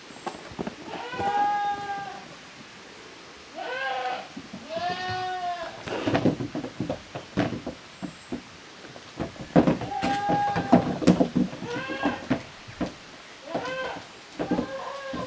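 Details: Two teams of young goats at play in a farm exercise yard on 13 June 2023, calling in repeated wavering, quavering bleats of varying pitch, in clusters separated by short gaps, with scuffling and knocking sounds between them.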